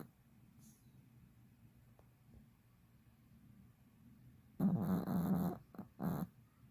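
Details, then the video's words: Fifteen-year-old Pomeranian in deep sleep: a faint low rumble of breathing for several seconds, then a loud, harsh, buzzy snore lasting about a second, followed by two shorter snorting breaths. "15살 포메 독구의 꿀잠 코골이"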